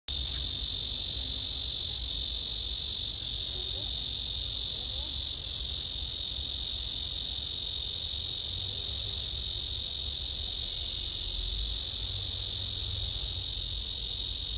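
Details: A nervous, dozing black cicada (Korean 말매미, Cryptotympana) that urinates three times in two minutes sings a loud, steady, high-pitched drone that never pauses.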